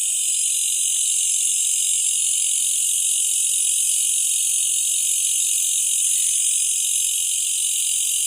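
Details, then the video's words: Malaysian bush cricket calling at night during a night hunt, a steady, unbroken, shrill high-pitched buzz that holds level throughout with no pauses or audible pulses, and faint low background noise beneath. "listen the difference sound of Malaysian bush cricket"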